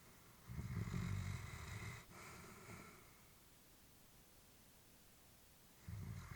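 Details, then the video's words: Old female Labrador Retriever sleeping peacefully in a family home: a low rumbling snore, a lighter airy exhale, a long quiet pause, then the next rasping breath beginning. "Elderly dog sleeping with breathing sounds"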